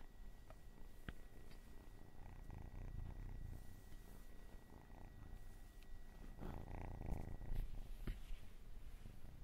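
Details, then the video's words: Domestic cat purring softly and steadily, a low continuous rumbling throb with faint clicks and a brief rustle near the end, quiet indoor setting. "Cat and cats purring and meowing for 10 hours"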